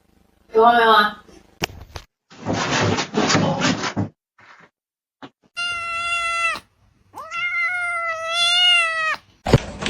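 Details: Domestic cat giving two drawn-out, steady-pitched meows in the second half, each with a slight rise and fall, the second longer; a short voice-like sound, a burst of hissing noise and sharp clicks come before them.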